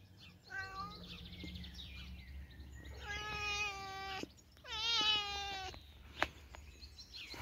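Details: Outdoor cat Teddy, sweet and gentle, utters three clear meows, the last two loud and long with a bending, slightly falling pitch, separated by short pauses over a low steady hum and a single sharp click.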